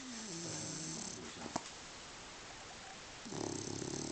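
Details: Sleeping dog Sofia gives a soft, wavering nasal whine that fades out, a faint click, then a short silence before a rough, rumbling snore begins.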